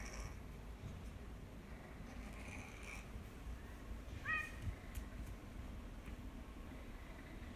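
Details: Tora-kun, a cat with nasopharyngeal stenosis that recurred after eight comfortable years following treatment, rescued from a collapsed breeder; steady low rumbling, raspy breathing throughout, with a brief squeaky harmonic wheeze midway and faint higher tones earlier.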